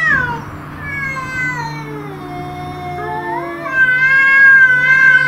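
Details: House cats facing off with intruder cats, two voices overlapping in long harmonic yowls, one sliding down while another climbs into a loud, warbling, wavering howl.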